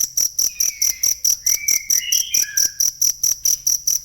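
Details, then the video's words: Cricket, a real recording used for training songbirds: a high, sharp chirp pulsing steadily about four times a second, with faint whistled notes from other birds sliding down in the background. "ASLI SUARA JANGKRIK"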